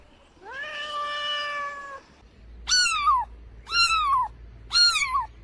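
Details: A cat gives one long, steady meow, then three short, high meows that rise and fall sharply, about one per second, with faint low background hum.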